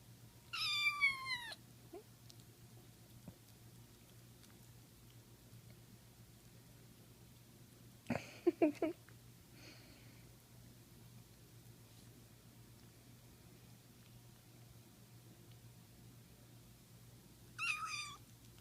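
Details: Kitten meowing indoors, three separate calls: a high falling meow, a longer wavering mew mid-recording and a final falling cry, with a steady low hum and long quiet gaps between.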